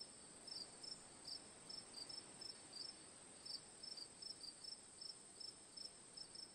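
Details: Crickets chirping in short, bright, high-pitched pulses, about eighty per minute in an uneven rhythm, over a steady soft hiss with no other clear sounds.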